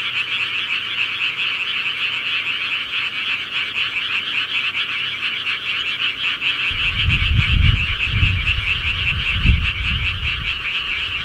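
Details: Many frogs calling at night in the countryside, forming a steady high pulsing chorus; from about seven seconds, deep low thuds and rumbles join beneath the calls.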